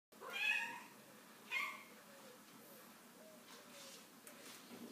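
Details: Chartreux cat meowing in the morning: two short, soft meows about a second apart, followed by a quiet background with faint room noise.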